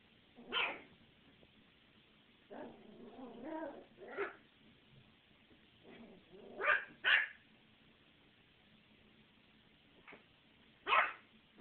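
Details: Ginger, a 13-week-old puppy, barking at Molly: six or so sharp, broadband barks spaced irregularly, with a softer run of lower, wavering yips and whines between them around the third second, in a quiet indoor setting.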